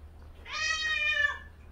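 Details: Haejjari, a gentle female cat, angry at the kittens bothering her, gives one drawn-out harmonic meow of about a second, steady in pitch and dipping slightly at the end, over a low indoor hum.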